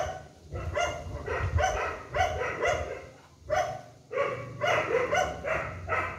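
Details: A group of rescued dogs barking after their morning feed, a paralysed puppy among them kept in a cage: repeated loud, rough barks in uneven clusters over a constant low hum.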